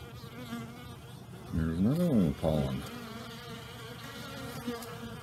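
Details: Honey bees out and active on a pleasant, unusually warm day early in the new year, after torrential rain the night before; a steady low hum from the hive area, with one bee flying close by, its buzz swelling and dipping in pitch for about a second.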